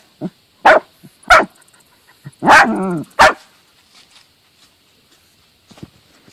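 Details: A Dachshund hunting moles in a garden gives a handful of sharp, high barks at uneven intervals, one drawn out into a yelp.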